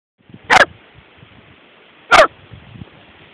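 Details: Whippet on a Baltic Sea beach at Palanga, Lithuania, in September 2011: two short, sharp barks about one and a half seconds apart over steady broadband surf and wind noise.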